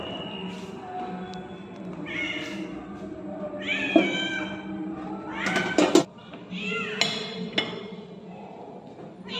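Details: Hungry ginger cat blocking a person's path, meowing loudly: several short wavering cries over steady low background hum, with some clattering sounds in between.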